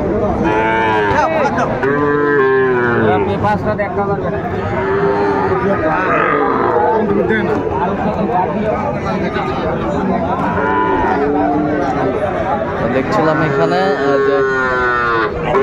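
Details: Young Sahiwal bull calves at a cattle market near Dhaka, Bangladesh, February 11, 2025; several drawn-out bleating moos, rising and falling, among dense crowd chatter and market noise.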